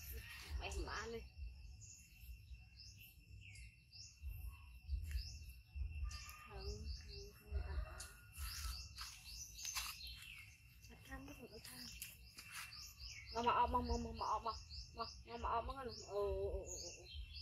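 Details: Monkey Yoko crying loudly after being bitten by his brother Koko, a male baby hybrid monkey found in jungle mountains; bursts of harmonic wailing cries late in the clip over background bird chirping and low rumbling noise.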